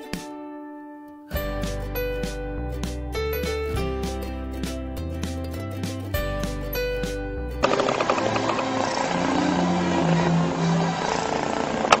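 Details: Instrumental music plays throughout: a piano-like melody with a steady bass, then a denser, noisier band from about eight seconds, with no animal voice.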